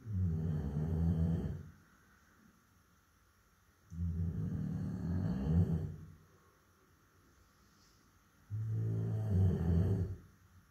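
A Labrador Retriever snores in deep, rumbling breaths, each lasting about two seconds with quiet pauses between.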